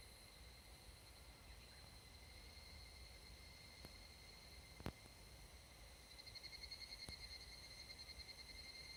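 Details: Evening cicada, Tanna japonensis, in a Japanese summer mountain forest at dusk; after a few sharp clicks, a fast, evenly pulsed trill builds near the end against a steady background hum of other insects.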